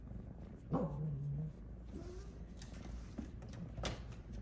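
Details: Snow Lynx Bengal cat napping in a hammock while being petted, meowing to ask for more pets: one low, drawn-out meow starting with a short rising onset and holding a steady tone, then a fainter brief call, in a quiet indoor room.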